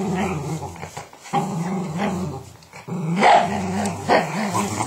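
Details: Growling Patterdale terrier, a family dog opposite a Border, producing gravelly low rumbles in several bursts separated by short gaps, the later ones louder with brief higher yelping edges.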